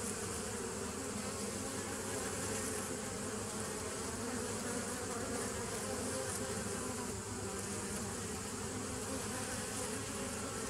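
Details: Bees recorded 27 September 2018: a steady, dense hum with layered low tones, continuous for the full length without pauses, plus a faint hiss across the upper range.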